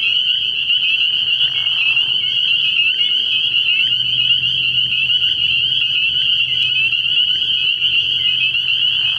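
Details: Spring peepers calling together at night from a frog pond early in the year, forming an unbroken, piercing wall of high peeps with a soft, low rumble in the background.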